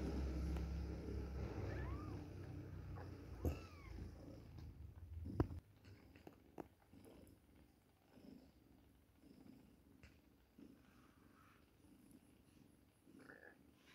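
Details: Baby kittens two weeks old during milk time: several arching, tonal mews in the first seconds over low purring, then a quieter stretch with soft clicks and faint higher squeaks.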